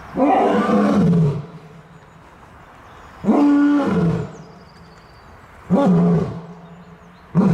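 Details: Lion roaring in a series: deep, throaty bursts of about a second each, repeated every two to three seconds, with the pitch sliding down at the end of each.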